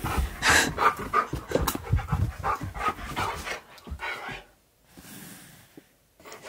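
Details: Siberian Husky named Key indoors facing a talking hamster toy, panting rapidly in rough bursts with faint breathy texture, followed by a quieter stretch with low background hum.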